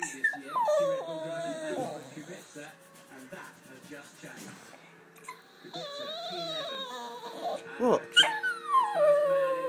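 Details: American Staffordshire Terrier at bath time, giving drawn-out whining cries that slide up and down in pitch, some long and wavering, with a person's protesting voice talking over the dog throughout.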